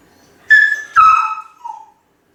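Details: Home-alone Kai Ken called Ichi giving brief, clear, whistle-like cries out of loneliness: two steady tones, the second dropping lower, followed by a soft low trailing note.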